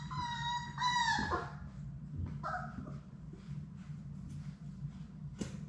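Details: Sadie's six Labrador Retriever puppies at play in an indoor play room: two drawn-out, clear whines open, a shorter whine follows, then faint scuffling and soft clicks against a low background hum.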